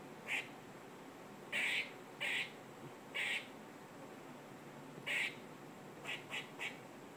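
A squirrel gives short, harsh, raspy bursts at uneven intervals, some singly and some in quick pairs.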